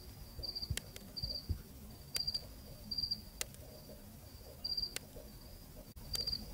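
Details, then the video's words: Night cricket in Zambia, recorded on location, chirping in short high trills with uneven pauses between them, against sharp clicks and a quiet low rumble. "귀뚜라미 우는 서늘한 잠비아의 밤"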